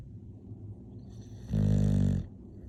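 An English bulldog gives a single deep, rumbling snore lasting under a second over quiet breathing noise.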